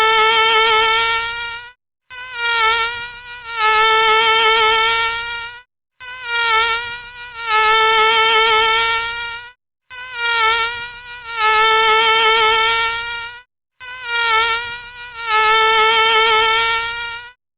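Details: High mosquito whine in about seven passes, each lasting one to two seconds and separated by short silences, with a steady reedy pitch and bright overtones and no other sounds.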